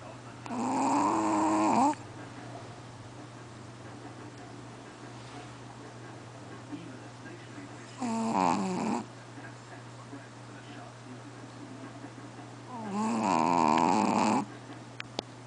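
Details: Sleeping Chihuahua named QBY, said to snore louder than a person, gives three long rasping, wavering snores at about 0, 8 and 13 seconds, separated by quiet stretches over a steady low electrical hum.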